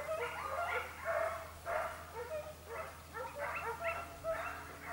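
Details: On a hare chase in the Evros region of Greece, 22 October 2023, the Segugio Italiano Sofiko bays in clipped, excited yelps, about a hundred a minute, some louder bursts standing out against a low steady drone.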